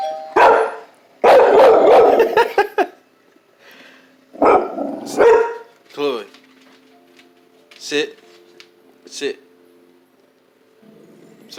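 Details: Chloe, a pet dog indoors, screams in reaction to the doorbell: harsh, loud broadband bursts lasting one to one and a half seconds, then shorter yelps, with a person talking and giving commands between outbursts.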